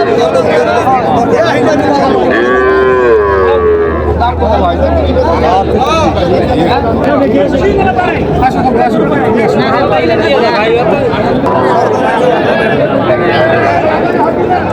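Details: Small bull and heifer calves at a livestock market in Natore, where farmers buy them on 5 July 2025. A low, drawn-out moo rises near the third second and another comes around the tenth, over dense crowd chatter and bargaining voices.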